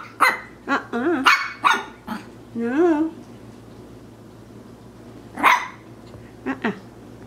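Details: A Maltese puppy, wanting to play, gives short, high-pitched yapping barks while a person speaks nearby.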